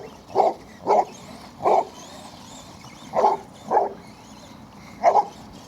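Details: Basset Hound Cletus barking as he chases an RC truck for exercise: six short, hoarse, mid-pitched barks spaced roughly half a second to a second and a half apart.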